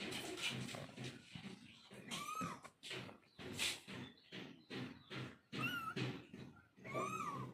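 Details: Mother cat calling to her kittens: four short, arched meows with bright harmonics, rising then falling, spaced over several seconds, over rustling, thumping household noise.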